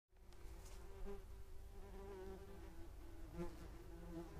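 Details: German wasps (yellow jackets, Vespula germanica) filmed in slow motion at 500 fps with a Sony RX10 III camera; a steady, droning wing hum with a low tone that wavers slightly in pitch, over a soft low rumble.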